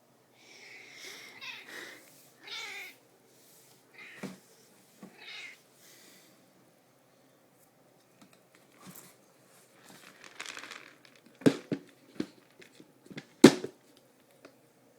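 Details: Pet cat asking to be fed after her bowl ran empty, giving several short meows in quick succession at the start, followed by clattering, bowl knocks and rustling as food is served, with quiet pauses between.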